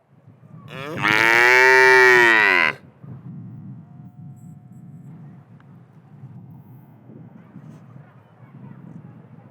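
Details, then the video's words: One strong two-second moo from a black and white cow in a pasture, followed by several seconds of quiet outdoor background noise with a faint steady hum. "Cow Sound, cow mooing sound effects, Realistic Cow Sound and Noises"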